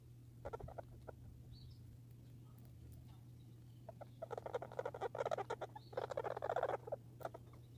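A squirrel gives bursts of rapid, clicking chatter that build into a harsh, rasping trill.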